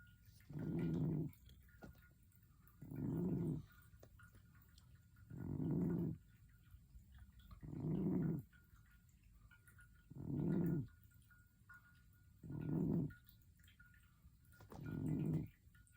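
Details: Sleeping cat named Momo snoring, a low rasping snore repeated steadily about every two and a half seconds, seven even breaths with quiet gaps between.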